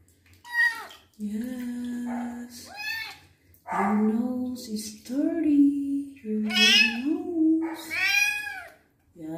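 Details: A kitten with wounds meows repeatedly during its first bath while the wounds are cleaned, giving drawn-out, wavering cries of rising and falling pitch, overlapping with a person's comforting speech in a small room.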